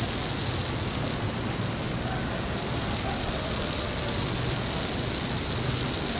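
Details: Continuous shrill drone from an orange cicada, a dense high hiss that stays even in pitch and loudness from start to finish, with only a faint low rumble in the background.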